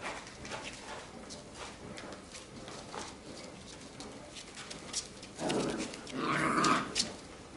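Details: Labrador Retriever puppies of a B litter romping and fooling about together indoors; soft scuffling and patter, then near the end two rising, whiny yelps from a puppy during play.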